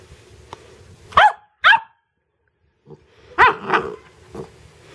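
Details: Pet dog barking while trying to catch a bug; sharp single barks come in pairs, a paired set early and another later, while a person keeps asking what it is and urging it to get it.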